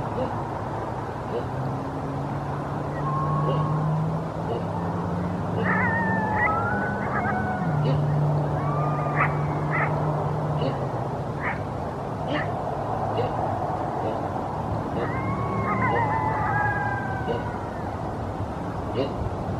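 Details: A pre-dawn coyote chorus outside Murrieta's city limit, near Winchester Road, with a guardian dog adding a low bass line: overlapping rising and falling howls and yips come in bursts over steady deep dog tones and a continuous road rumble.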